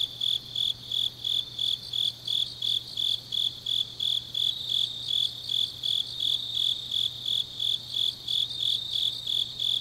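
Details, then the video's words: ['Autumn night grass insects in Changnyeong, South Gyeongsang, Korea, singing a steady train of high pulsed chirps, roughly three per second, layered over a softer, higher insect trill, with a constant low hum underneath.'] "깊은밤 가을 풀벌레 소리"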